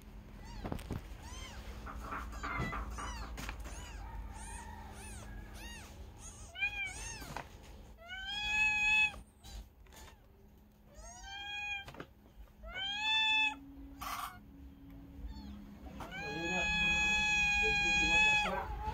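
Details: Kitten meowing repeatedly: a run of short, high, arched mews, then longer rising-falling cries with a sustained drawn-out meow near the end; faint clicks and low background hum underneath.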